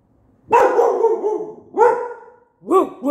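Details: Indoor pet dog barking back at a dog it believes is outside: two long drawn-out 'roo' barks sliding downward, then two short higher yips, in a quiet room.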